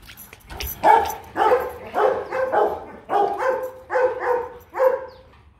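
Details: A run of about nine short whining yelps, roughly one every half second, each steady in pitch with bright overtones, from Kute, a 15-month-old female Rottweiler of the Gervi line, while being called by name.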